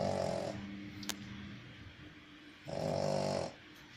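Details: Pug snoring indoors: two loud, raspy snores about two and a half seconds apart, each a harsh rattling breath lasting under a second, with quiet breathing between.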